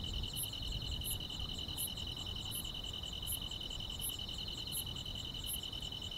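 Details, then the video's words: Countryside grass insects chirp on a summer night: a continuous beaded high trill, with a separate very high chirp repeating roughly every 0.7 seconds above it, and soft low background hiss. "여름밤의 포근한 풀벌레 소리"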